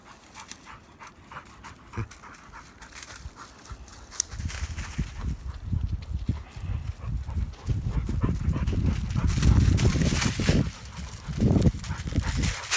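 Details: Labradors from the Kloster Marienthal kennel romping in woodland; rapid, heavy panting at about four breaths per second that swells louder toward the end, mixed with rustling movement on the forest floor.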